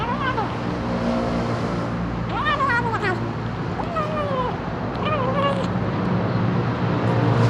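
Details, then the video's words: Hungry kitten calling out with a strange voice: a run of clear wavering meows, several bending down then up, repeated roughly every second, set against constant low engine-like rumble and distant speech. "Anak kucing lapar keluarkan suara aneh!"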